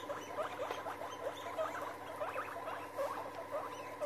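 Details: Guinea pigs getting together, giving soft short rising chirps in a steady, quick, even rhythm over a hissy background.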